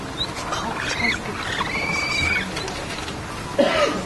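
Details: Capybara father among his group, several thin whistled calls: a short one, then a long level whistle, ending in a louder, lower rising-and-falling cry, against constant outdoor noise.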